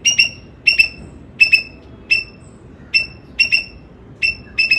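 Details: Squirrel giving sharp, whistle-like chirps in irregular pairs and singles, about eight bursts over nearly five seconds, each note short with a clear overtone, against a quiet low hum.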